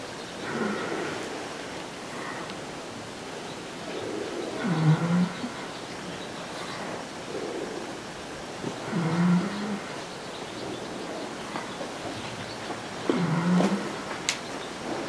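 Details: Peaceful resting horses at the 2016 Equinisity Retreat, among people, give low, rough snoring breaths with a faint upward glide, spaced roughly every four seconds over quiet background hiss.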